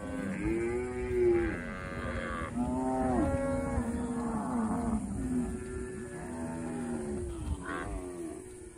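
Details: Cattle grazing in a pasture moo in long, drawn-out, overlapping calls that bend up and down in pitch.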